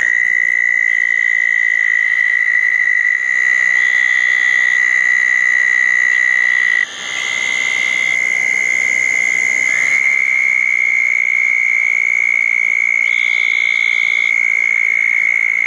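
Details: Southern toads congregated at two small ponds on the night of June 10, 2014, following a thunderstorm. Long, continuous high trills overlap, with a slight step up in pitch partway through. Brief higher buzzy bursts are heard intermittently.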